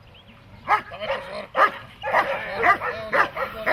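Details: Dog in protection training, breed such as German Shepherd or Malinois, giving loud harsh barks in quick bursts, about two per second with short gaps, each bark rising and falling; faint voices underneath.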